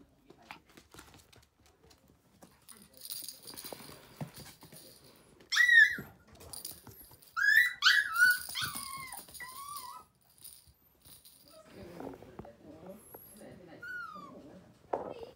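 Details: Toy Poodle puppy, a lively male who enjoys toys, indoors: after a quiet stretch come sharp high whines around the middle, a cluster of several downward-sliding whimpers, then one brief whine near the end amid handling noise.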